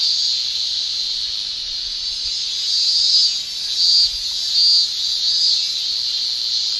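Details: Male cicadas in summertime Japan: a steady high buzzing drone over which three louder pulsed bursts stand out, spaced roughly every three-quarters of a second, before settling back into the constant shrill.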